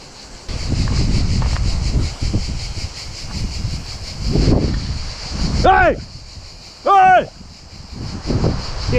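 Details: A deafening, steady, high, hissing buzz of cicadas in trees along a road toward Matera, southern Italy, runs throughout under strong wind and a cycling man's talking and shouting.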